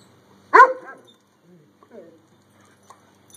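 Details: A Weimaraner gives one sharp, loud bark, then a couple of softer grumbles, telling playing vizslas to play nice during rough play.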